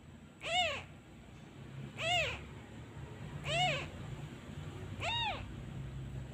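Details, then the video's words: Kitten left abandoned and missing his mother cries each time the comforting hand is removed: four evenly spaced, bright, rise-and-fall meows about one and a half seconds apart over a low background hum. "Abandon Kitten Part 2 He cries everytime I removed my hand. He really miss his mother."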